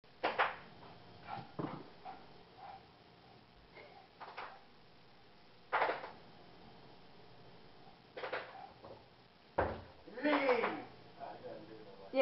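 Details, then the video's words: Vegas, a Shih Tzu, has an angry sneezing attack while playing with Mom and Dad. Sharp, broadband bursts come in uneven clusters, with a brief whiny tonal sound near the end and quiet room noise between. "having an angry sneezing attack"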